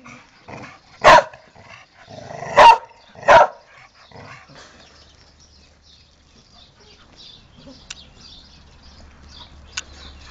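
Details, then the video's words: A domestic dog barking: three loud, sharp barks in the first three and a half seconds, with softer huffs between them, then quieter rustling and a few faint clicks. "PANTERA TEX-MEX DOG"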